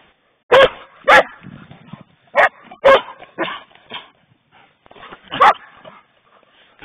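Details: Playing poodles at home give sharp, clipped barks in a loose series, about two per second at first then spaced out, with softer yips and scuffling between bursts.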